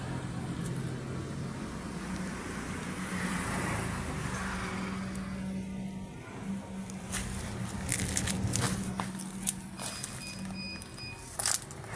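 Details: Steady road traffic rumble with passing vehicles, a low engine drone and scattered clicks and crackles, with no animal voices.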